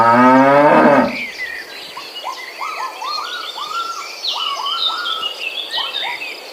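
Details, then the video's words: Village cattle herd looking for fresh grass: one loud, deep moo lasting about a second opens, then gives way to steady rows of short arched chirps and high twittering from birds or insects. "Suara sapi lucu,Sapi lembu mo"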